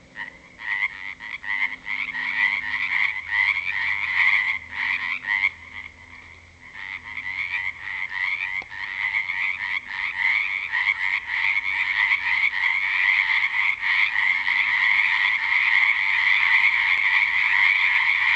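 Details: Frogs back at a natural pond after February rain in 2009, croaking loudly at 7 pm in the dark; dense pulsed chorus, roughly three croaks per second, building steadily louder and thicker over the recording.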